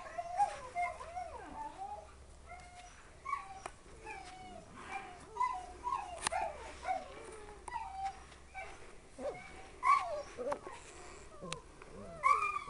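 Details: Litter of Siberian Husky puppies: many overlapping high, squeaky whimpers and short yips, some rising then falling, coming every second or so throughout, with soft rustling between.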